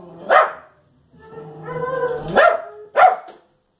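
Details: Fox Terrier barking at the television; one sharp bark, a pause, then a low background hum with faint tones before two more abrupt barks close together.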